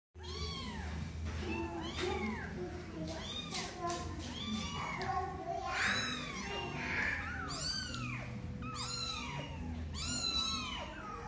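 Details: Mother cat with her kitten, not wanting the kitten to play too long and wanting to keep touching it; repeated arching meows, some overlapping from more than one cat, with people talking in the background.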